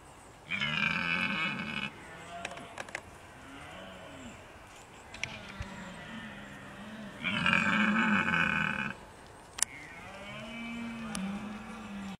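A red deer stag bellows twice during the rut, each roar a harsh, drawn-out moan.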